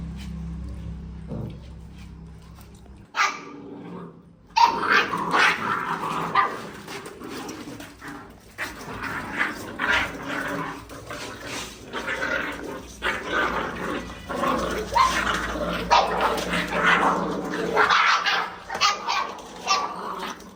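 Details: Angry puppies eating food, giving a near-continuous run of rough growls and short barking yelps over about fifteen seconds, with clattering and scuffling noises mixed in.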